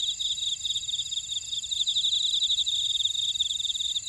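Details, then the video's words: High insect chorus from a Jeju buckwheat field in Orai-dong, South Korea, with a rapid beaded trill running throughout over several steady shrill tones, a calm natural soundscape. "제주 메밀밭의 풀벌레 소리"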